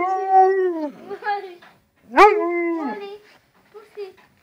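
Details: Husky dog Molly vocalises in two long tonal howls, the first steady then sliding down, the second rising sharply into a bending, falling moan, followed by a few soft short whimpers.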